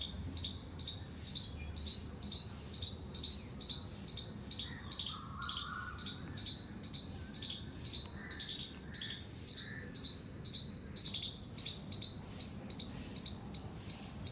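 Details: A squirrel in a terrace garden with flowers, giving a steady series of sharp, high squeaks at about two per second throughout, with a few soft whistled bird notes in the background.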